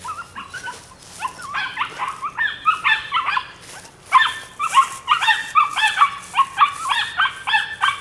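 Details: High, ringing yips from a nine-week-old female puppy, Rodin/Katana litter, come in uneven runs, fast and insistent, sometimes in quick pairs, with no other sounds.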